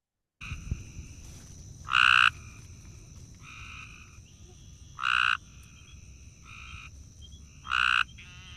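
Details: A gray tree frog gives its slow call, short musical trills packed with many pulses, about every three seconds, with fainter frogs calling between. Its call is slower and more pulsed than a green tree frog's.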